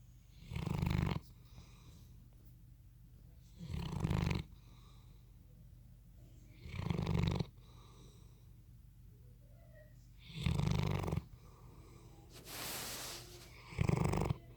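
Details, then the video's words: Sleeping Bloodhound snoring: five deep, rasping, low snores spaced roughly three seconds apart, each swelling and fading, with quiet breathing between and a brief airy hiss just before the last snore. "Bloodhound Snoring"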